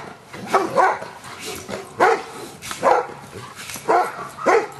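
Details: Giant Schnauzer named Luther barking during Schutzhund stick-hit training on 25 April 2009, as he is being accustomed to stick hits; sharp barks come in pairs and singles roughly every second, with sharp cracks between.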